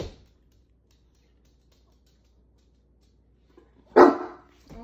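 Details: A Great Dane in the kitchen gives a single deep, loud bark, asking for a drink from the kitchen sink sprayer.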